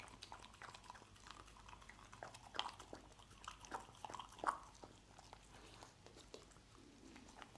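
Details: Domestic dog chewing scrambled egg in a small room; sparse, soft smacking bites with a few louder crisp clicks around the middle, separated by quiet pauses.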